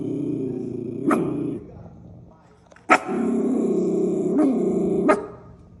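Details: Female miniature schnauzer protecting her turf: a steady low rumbling growl broken by sharp barks, one near the start and a pair later, with the growl resuming between them.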